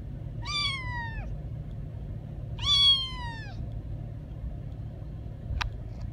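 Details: A young kitten meowing in a car on the way home: two drawn-out, slightly falling meows about two seconds apart, over a steady low rumble of road noise, with a brief click near the end.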